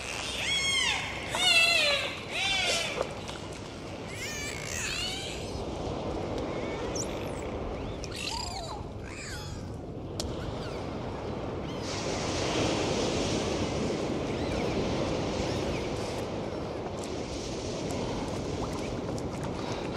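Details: Dolphins at sea: a burst of stacked, rising and falling whistles in the first three seconds, then scattered broadband click bursts and buzzy pulses over steady underwater hiss.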